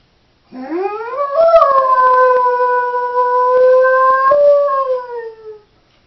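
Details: Doberman bitch home alone, giving one sustained howl of about five seconds: a quick rising start, then a steady tone holding level before slipping gently downward at the end; faint indoor quiet around it.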